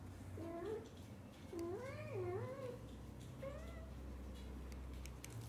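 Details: Domestic cat: the kitten Onion, excited and happy while his mother cat pampers him indoors. Three harmonic meows: a short one, a long wavering two-part cry that rises and falls, then a brief rising call, over low steady background hum.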